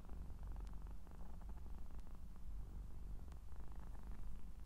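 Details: Scottish Straight cat purring up close indoors: a steady, low, rumbling vibration with a fast, even pulse, continuous throughout with a few faint clicks.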